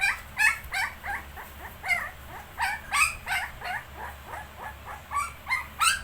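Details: ['Shih Tzu and 19-day-old puppies, with a steady stream of squeaky yips, some rising and whine-like, mixed with sharper barks about three per second, over a soft hum.']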